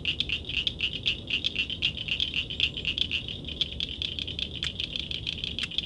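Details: Frog or toad at night giving a rapid, slightly uneven rattle of high clicks, with the pulses bunching into short groups about once a second, over low background noise.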